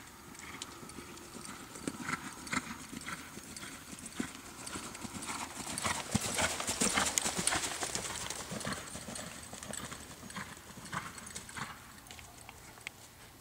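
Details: American Quarter Horse gelding born in 2007, a reining prospect, moving with a steady clip-clop of hooves at just under two strikes per second, growing louder in the middle of the passage and then fading again.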